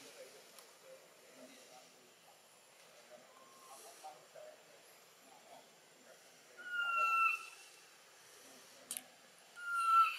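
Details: Baby monkey Button, a macaque bitten by troop member Cara in Siem Reap Province. A quiet stretch with low chatter gives way to two loud, steady, slightly falling whine-like cries near the end, separated by a sharp click.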